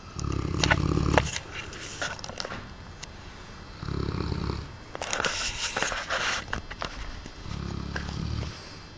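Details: Aristo, a big Cane Corso kept as a pet, snoring indoors: three deep rumbling snore bursts of about a second each, with airy exhaled breaths between them.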